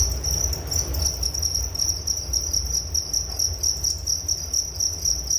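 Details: Cricket chirping offered for relaxation and falling asleep, a continuous shrill pulsing trill held at one high pitch, overlaid on a low droning rumble.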